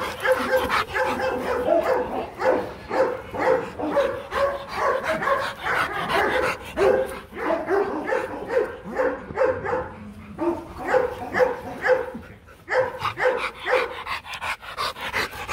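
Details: Rottweilers Marvin Gervi and Kacyno Gervi during mating in Hanoi, Vietnam; steady run of high, tonal whines and yelps, roughly two each second, with short pauses and a steady background hum.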